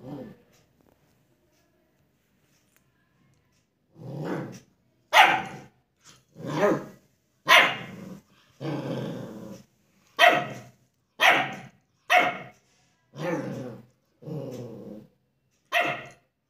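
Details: German Shepherd puppy in India barking in a study room while reacting to its reflection in a mirror; short rough barks and growly yaps come in irregular bursts after about four seconds of quiet, roughly ten calls in all.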